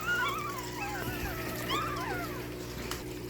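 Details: Several one-week-old Shih Tzu puppies recorded 22 March 2025, giving overlapping thin, wavering squeaky whines that rise and fall, over a steady low electrical hum.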